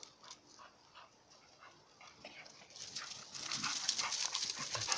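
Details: American Bully from a kennel of ABKC champion pedigree dogs and pups: rapid breathy panting, roughly four puffs a second, growing louder and hissier in the second half, with faint background noise.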